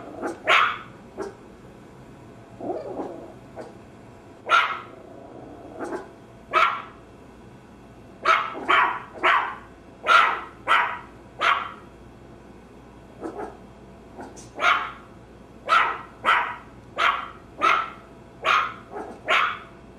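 A Maltese gives sharp, high-pitched yapping barks, scattered at first and then in a quick steady run.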